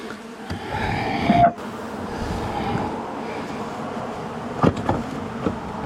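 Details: Honey bees from a long-time wall colony, angry during a house cutout after dark, as bees pour out; continuous dense drone with a faint rising whine, broken by a few scraping knocks.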